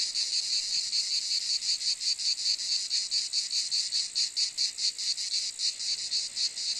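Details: Cicada producing a harsh, high buzzing drone broken into quick pulses that become uneven and flutter in strength toward the end; nothing else audible.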